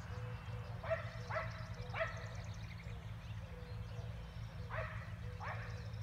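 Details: Relentless barking from neighbouring dogs 400 feet away, Emmett, Idaho, spring 2020: a cluster of three quick barks, a pause, then two more, all distant and set against a continuous low background rumble.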